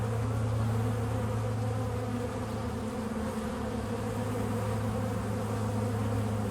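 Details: Bees at work pollinating flowers create a continuous deep buzzing hum, even and unbroken throughout, like many wings beating together.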